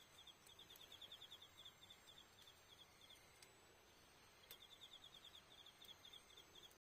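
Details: High, rapid pulsed chirping of autumn insects after dark at Iyo-no-kuni campsite, 20 October, near a crackling campfire; bursts of quick notes come in two main runs with a quieter stretch between and scattered fire snaps.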